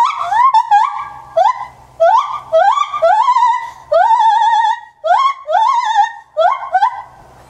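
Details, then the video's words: Kotaro, a nine-year-old male white-handed gibbon at Maruyama Zoo, born at Asahiyama Zoo, recorded 27 January 2014: loud, clear whooping notes sliding upward and wavering, rapid series of rising hoots with brief pauses, ringing indoors. "シロテテナガザルの鳴き声~White-banded Gibbon crying"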